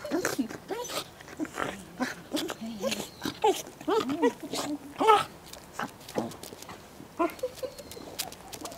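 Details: Goro the Welsh Corgi, filmed 19 January 2013, vocalises in excited squealing yelps and whines that rise and fall in quick bursts, overlapping with soft human speech and tapping.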